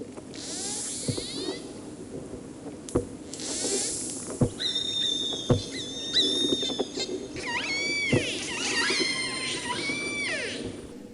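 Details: Killer whales of the Moloko family giving their dialect, which is learned in childhood rather than inherited; clicks and pulsed calls give way to long harmonic whistles, some flat, others rising then falling in sweeping arcs, several overlapping.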